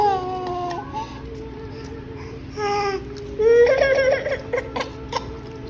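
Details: Background music with a steady held tone plays while a baby cries and laughs and voices speak.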